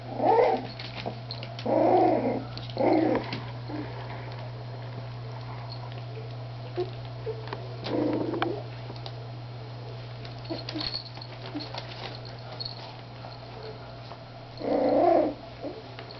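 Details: Three-week-old Miniature Schnauzer puppies playing indoors, giving short growly vocal bursts near 0, 2, 3, 8 and 15 seconds over a steady low electrical hum, with quiet shuffling between.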